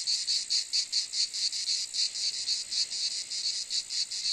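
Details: Cicada calling: a shrill, high buzzing broken into rapid even pulses, about four or five per second, steady in loudness throughout with no other sounds.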